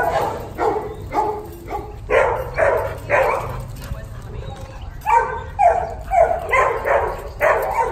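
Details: Puppy's barks come in uneven clusters of quick, mid-pitched yelps, with a short gap midway and possible talking behind them.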